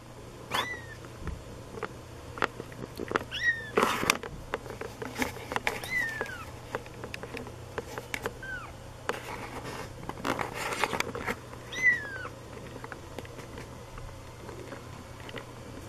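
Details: Two-week-old white female Siberian kitten from a litter bred in British Columbia, Canada: thin, high, short mews that slide downward, about five over fifteen seconds, amid rustling, clicks and handling noise.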